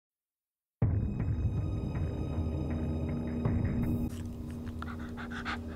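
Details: A brief silence gives way to ominous, throbbing soundtrack music with low droning tones. No animal voice stands out.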